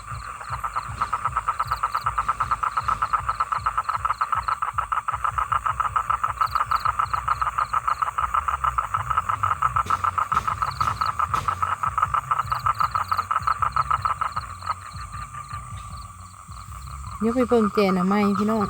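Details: Male toad calling for females to mate, with no females found nearby: a long, steady, rapid pulsed trill at mid pitch lasting about seventeen seconds, then voices close by at the end.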